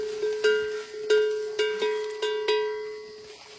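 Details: Plucked ukulele notes ring out in a steady strum, with no animal sound present. Only the instrument's bright, repeated chords fill the recording.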